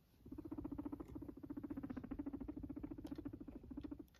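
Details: Domestic guinea pig giving a continuous purr, a low vibrating burr of fast, evenly spaced pulses that runs almost without a break for about four seconds, with a few soft clicks over it.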